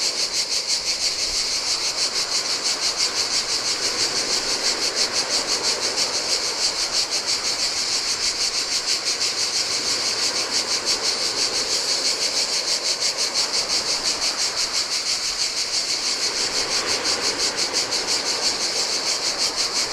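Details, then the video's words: Chorus of cicadas in summer heat beside the Adriatic sea on a Greek island beach, a steady shrill rasping drone throbbing in quick regular pulses, with gentle surf swelling and receding beneath it. "Cicadas by the Sea - Ocean Waves & Cicada Sounds"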